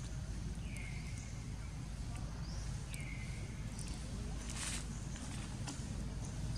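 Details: Little monkey named Sok, hungry and crying to request food: two drawn-out tonal cries, each dropping then holding steady, about two seconds apart, over a constant low engine-like rumble with faint clicks.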